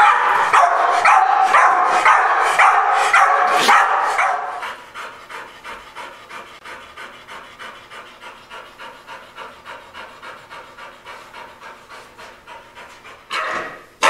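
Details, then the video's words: Reactive Pit Bull Patch barks hard and fast for about four seconds, then drops to steady, rhythmic panting until a short final outburst. "Chien réactif 3 La progression de Patch le Pittbull"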